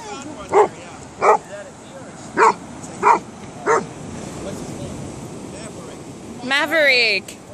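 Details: Golden Retriever on a beach in Kauai, eagerly searching and finding a sea cucumber; five short, sharp barks spaced about a second apart, then a person's voice near the end.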